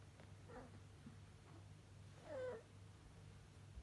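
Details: Domestic cat indoors with a man; steady low rumbling purr throughout, broken by two short meows, the second louder and falling in pitch.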